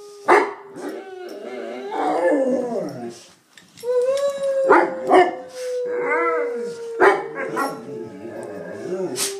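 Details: Two Bullmastiffs singing along to noises being made, long howls gliding slowly downward with rich harmonics, overlapping tones and short broken yelps from both dogs, brief pause near the middle.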